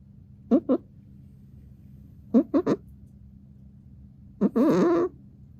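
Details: Exotic Shorthair cat Shishamo snoring in sleep, with short raspy snorts in twos and threes followed by one longer, gurgling, wavering snore near the end, against a quiet indoor hum.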